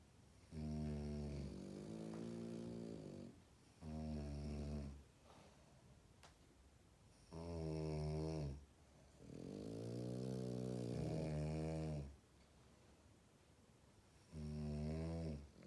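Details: French Bulldog puppy sound asleep, producing a series of deep, buzzing snores of one to three seconds each, irregularly spaced by short quiet breaths, with a faint click partway through.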